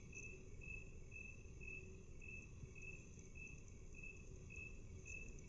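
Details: Cricket chirp played at half speed, each high pulse stretched and separated by about half a second, repeating steadily against a dull low noise floor.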